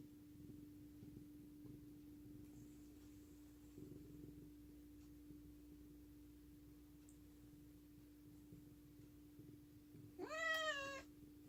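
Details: An affectionate cat named Bani gives one loud, harmonic meow near the end. It rises sharply, then holds steady for under a second. Before it comes a long quiet stretch with soft low rumbling and a steady indoor hum.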